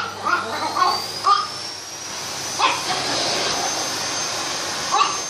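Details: Chihuahua fighting with a vacuum cleaner: about five short, sharp, high-pitched yapping barks, irregularly spaced across five seconds, some in quick pairs, over the loud steady roar and high whine of the running vacuum.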